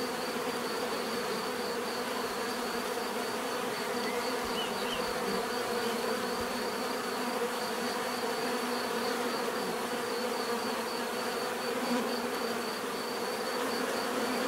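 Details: Continuous natural buzzing of many bees, a thick even drone with stacked low hum bands and a thin wavering high tone above.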